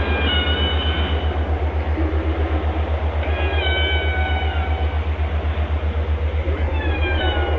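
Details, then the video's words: Whale singing in clear tonal phrases: a falling harmonic moan, then a rising-and-falling wail after a gap, and another rising call at the close, all over a constant fast low mechanical pulse. "Walgesang canto das baleias песни китов 鯨歌 שיר לווייתן whale song व्हेल गीत أغنية الحيتان"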